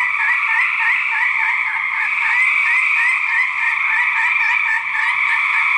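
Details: Male gray treefrogs trill loudly and steadily in 2010, the overlapping calls of rival males in a fight.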